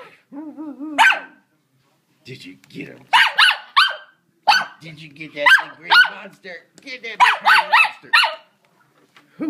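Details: A ten-month-old pet puppy barks excitedly at a Hoover vacuum cleaner indoors: short, sharp harmonic barks in irregular bursts, some growly, with a person talking and encouraging it in between.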